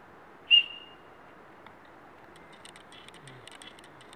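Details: Ibex giving a single sharp, high-pitched whistle that cuts off quickly and fades, followed by quiet with faint soft ticking sounds near the end.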